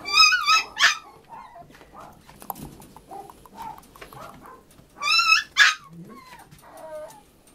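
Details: Male puppy aged 80 days, the fourth in a litter, filmed on 26 April: high whistled whines with stacked harmonics at the start and again near five seconds, plus softer short whimpers and faint background noise between.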